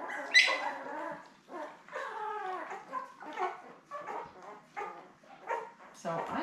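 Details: Seven newborn Labrador Retriever puppies with their mother Belle, born May 24, 2021, on a live puppy cam; a series of bending, wavering squeals and whines in bursts, one sharp high squeak near the start.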